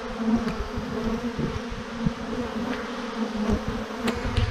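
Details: Thousands of honey bees hanging in a massive clump on a branch give a dense, steady droning buzz, a low humming band with faint overtones, continuous throughout, with occasional brief pulses as individual bees pass close.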